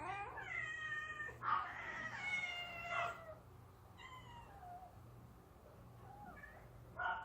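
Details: Outdoor yard cats at feeding time with pouch food, giving several clear harmonic meows, long and wavering, then shorter falling ones, spaced a second or two apart over a low steady hum.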